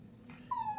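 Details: Pomeranian crying: a single thin, high whine that starts suddenly and slides slightly downward over a steady low background hum.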